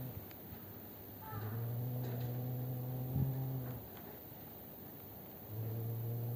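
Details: Black-and-white cat and Maron mid-quarrel at a house on 12 December 2025: a deep, even, humming yowl held for over two seconds, a pause, then the low drone resumes.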